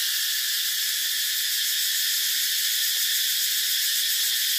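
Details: Cicada calling as an unbroken, intense high buzz that stays even in pitch and loudness, with only faint low ticks beneath.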